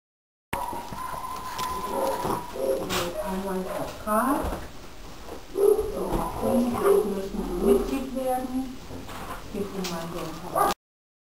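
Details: A pug named in the video as Miss Ellie, likened to a space alien, gives a run of warbling, whiny grumbles, each bending up and down in pitch like odd talking, in short bursts with brief pauses, indoors.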